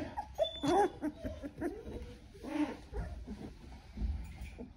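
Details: Doodle puppies recorded 10-7-2020, giving a couple of short, high, wavering whimpers with clear squeaky overtones, a brief pause between them, over a soft rumbling background.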